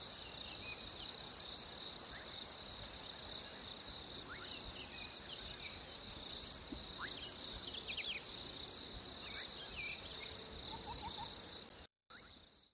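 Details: On a hot summer day, crickets keep up one steady, piercing trill at a single high pitch. Scattered faint bird notes sound underneath, and the recording cuts out briefly near the end before the trill returns.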